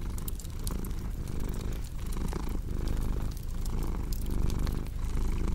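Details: Steady low purring of a cat, rising and easing with its breathing about twice a second, while a wood fire crackles with scattered bright clicks throughout.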